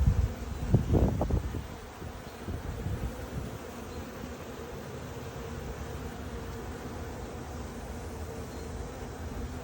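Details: A honey bee swarm that tried to abscond and settled in a small box, many drones outside: a few knocks and rustles at the start, then a continuous low buzzing hum with a steady tone.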